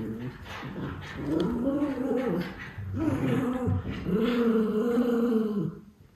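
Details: Two Miniature Schnauzer brothers in Aroostook County, Maine, burn off energy in an outburst of over two minutes on 5 October 2021, giving long, throaty, wavering bark-growls and yowls in sustained bursts with brief pauses.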